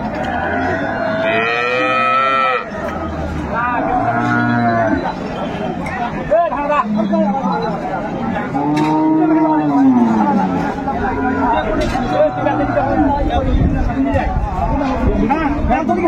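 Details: Improved-breed milk cow with her calf at Ambari market, Dinajpur, on 22 April 2024, lowing repeatedly: several arching moos, some rising then falling, spread over sixteen seconds amid busy market chatter and voices.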